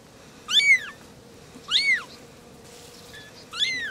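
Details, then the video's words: Three little kittens meowing as they talk to each other: three short, high, arched meows, each rising then falling, spaced about a second apart, over a faint steady background hum. "Three little kittens are talking"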